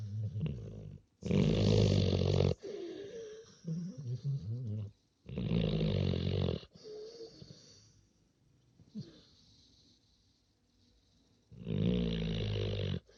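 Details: A big young dog sleeping peacefully and snoring loudly; long rasping, broadband snores of about one to one and a half seconds, separated by quieter breathing and pauses.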